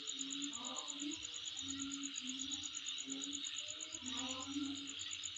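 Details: Insect heard at home, its steady high shrill hum topped by a fast, regular string of sharp high pulses, while softer lower warbling tones come and go in the background.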